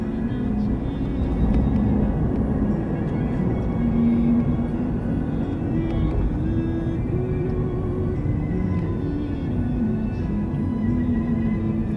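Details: Steady low vehicle rumble throughout, with faint tonal hums drifting over it and no animal voice standing out.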